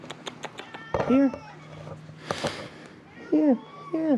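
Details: Feral cats, three living around a closed-down building at Mare Island Naval Shipyard, Vallejo, California, crying for food while being fed beef jerky; loud, arched, bending meows, three of them, with a man speaking between and a steady low hum.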